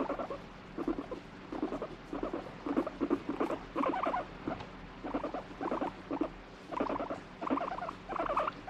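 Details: Pet guinea pig, irritated and fighting off a hand while being stroked, gives bursts of low buzzy, pulsing chutter in irregular bouts, about a dozen in under nine seconds, with short quiet gaps between them.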